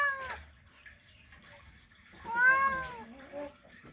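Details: A male cat calls to a female during mating: one brief falling meow, a pause, then a longer, louder, arching yowl-like meow that fades out.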